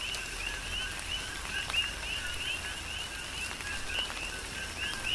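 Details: Coqui frogs calling in a tropical rain shower on the Big Island, Hawaii: two-part whistled notes, a lower tone then a higher rising one, repeated by several overlapping frogs over steady rain patter and scattered drips.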